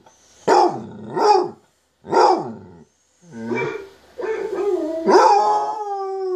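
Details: Basset hound Munson reacting to recordings of basset hounds howling: two hoarse, broken bark-like yowls, a short pause, then rougher wavering cries that settle into a sustained steady howl.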